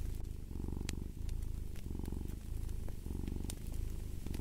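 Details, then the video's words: Close, rumbling cat purr in three clear pulses, each loud buzzing stretch broken by a short pause between breaths, while a few bright pops and crackles of fireplace fire sound over it. "Purring of a Cat"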